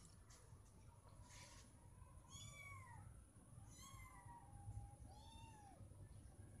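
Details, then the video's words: Meowing cats wanting something like food or attention: three clear, drawn-out meows, each arching up then sliding down, spaced about 1.5 seconds apart over a steady low hum and a thin high whine. "4 Cat Meowing So Loud, I Must Close My Ears Now"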